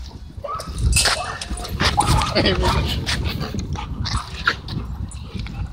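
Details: Dogs wrestling and playing at a dog park give short rough barks and growly bursts amid scuffling, with people talking nearby and broadband wind-like noise throughout.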